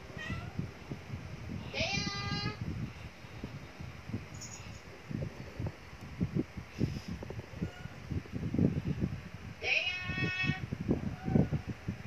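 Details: Two clear, wavering cat meows, one early and one near the end, stand out from a constant low rumble with faint scattered background sounds between them.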